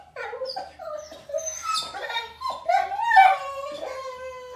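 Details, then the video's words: Frustrated after surgery and denied a walk, Thor the German Shepherd Boxer mix lets out continuous high, sliding whimpers that climb into a long, wailing scream-like cry, indoors. "Dog goes crazy whining because he can’t go for a walk talks backs and screams"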